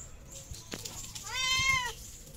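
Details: Hungry stray cat on a street in Morocco, one of a group including two pregnant cats, gives a single drawn-out harmonic meow that swells and fades over about half a second, with a low rumble of street noise behind it.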